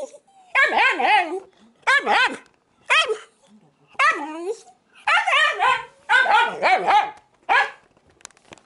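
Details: Shiba Inu pressing for an apple left on the table at home: a series of about ten sharp whiny barks and yelps, each brief with a wavering pitch, spaced roughly half a second to a second apart.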